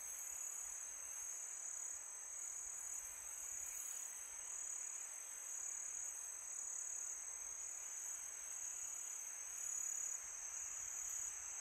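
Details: Crickets on a peaceful summer night, a steady high continuous trill held at one pitch throughout, with soft wind noise beneath.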